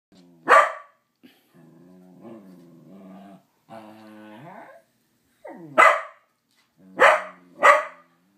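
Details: Corgis give sharp, loud barks between stretches of low, whining growls, holding a greeting card at bay.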